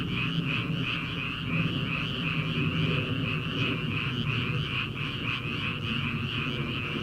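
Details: Frogs in rice fields in early summer before rice planting, producing an even, buzzing wall of rapid pulses with a low rumbling undertone and no distinct individual croaks.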